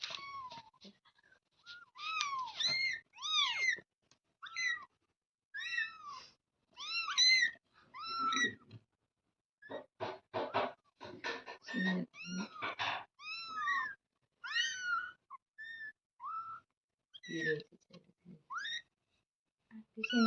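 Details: Kitten giving a long run of thin, high, arched mews, repeated every second or so, some doubled, with brief breaks of rustling and handling noises and occasional soft human voice in a small room.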